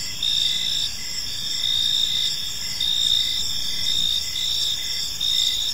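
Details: Evening park ambience of crickets, several high insect trills layered into a continuous shimmering chorus, gently pulsing in loudness every second or so, with faint low rumble beneath.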